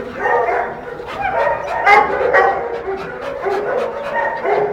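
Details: Female American Staffordshire Terrier in heat, vocalizing in loud, continuous whining barks and yelps with harmonic, wavering tones, bursts crowding closely over a few seconds.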